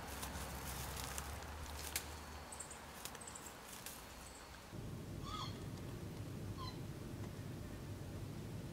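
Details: Wild Japanese macaque in summer: two brief, clear tonal calls, each arching up then down, about a second apart. They follow a low steady rumble and faint high chirps in the background.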